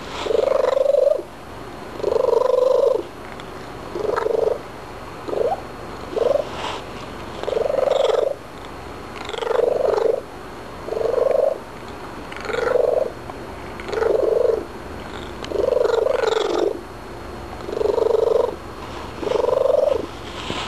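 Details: After eating several treats, a male domestic cat chats steadily, giving a long series of short trilled chirrups roughly every one to two seconds over a soft background purr.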